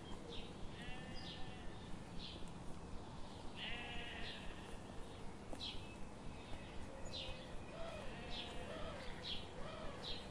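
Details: Several sheep grazing in a morning forest bleat repeatedly, overlapping nasal calls with some near and some distant, set against constant outdoor hiss and a soft, even ticking rhythm.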